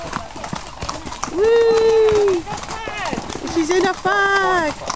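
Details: Coakham Bloodhounds pack moving off for a second hunt run at Barons Grange; a long, steady, sustained howl that falls away at the end, followed by shorter bays, over clip-clopping horse hooves and people talking.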